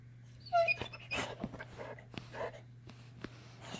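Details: Saint Bernard puppy asking for food indoors, giving a short high whining cry early on, followed by quieter snuffling and faint sounds, with a steady low electrical hum throughout.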